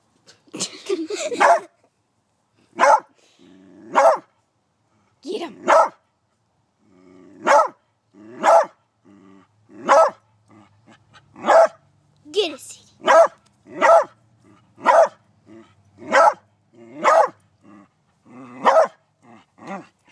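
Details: Beagle attacking a praying mantis, barking steadily for twenty seconds with sharp, rough barks, some in quick pairs, others spaced about a second apart, with occasional growly edges and a person's voice now and then.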